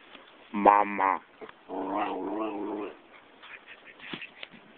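An Italian Greyhound gives a wavering, whiny 'talking' vocalisation in two drawn-out bursts.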